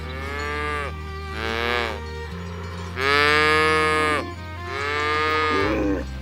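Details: Village cows driven to their pen along a rice field ditch; four moos in quick succession, the third loudest and longest, over low steady background music.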